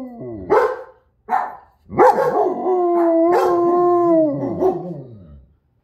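A German Shepherd gives short yelping barks, then a long, sustained howl with wavering pitch.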